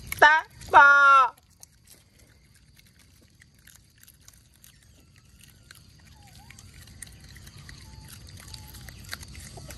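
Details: Mealtime for otters in a mangrove setting, mullets back on the menu: two loud, ringing squeals with rich overtones open the recording, followed by quiet crackle and steady background hiss.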